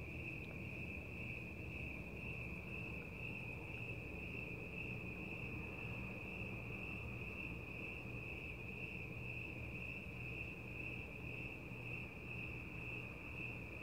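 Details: Crickets chirping through the night air: a bright, continuous high trill with a gently pulsing texture, steady in pitch, above a persistent low background rumble.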